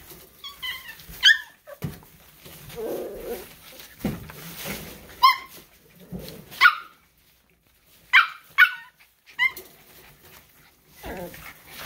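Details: Miniature Schnauzer puppies playing together: bursts of high, harmonic yips and short barks scattered across the clip, some in quick pairs, with soft growly rumbles and scuffling between them.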